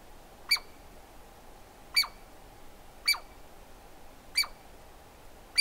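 A Douglas squirrel gives sharp, high, bright calls, repeated roughly every second and a quarter.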